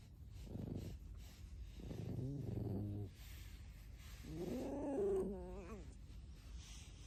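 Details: Alice, a pet red fox kept at home, gives three wavering, harmonic whining squeaks, the last one rising and warbling, with quiet low background noise between them.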